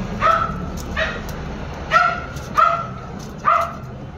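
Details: Golden retriever giving five short yelping barks at irregular intervals of roughly half a second to a second, each bright and clipped, over a faint low background hum.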